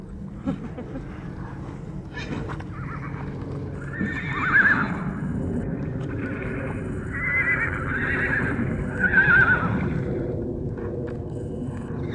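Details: Wild horses fighting in Arizona, stallions squealing: three loud harmonic squeals around four, seven to eight and nine to ten seconds, some rising then falling, over constant rumbling wind and hoof scuffs.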